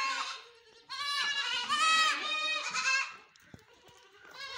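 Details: A farm goat gives a short bleat, then one long, trembling, nasal bleat lasting about two seconds. A quieter pause follows, and another cry starts at the very end.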